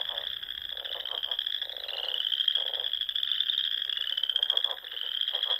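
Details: Frogs singing in spring at a Sandhills pond in Nebraska at dusk: a continuous high trilled chorus, over which lower, shorter rattling bursts repeat about every second.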